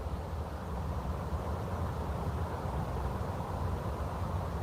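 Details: Steady low rumble of traffic or a passing vehicle, with no animal calls heard.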